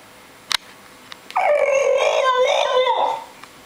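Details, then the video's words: Upset over stingy treat-giving, the young French Bulldog Nikos, seven months old, lets out one sustained, quavering whine that rises, wobbles and falls, after a couple of soft clicks. "French Bulldog Talking .... upset much?"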